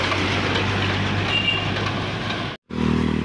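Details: Loud roaring truck engine and road noise, cut by a brief silent gap before the engine resumes; no animal sounds are present.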